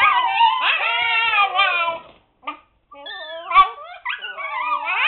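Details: Seven-week-old Siberian Husky pups shut in their puppy pen, noisy and protesting; long wavering howl-like whines rising and falling, a short gap, then several chorusing pups with bending, yodelling cries.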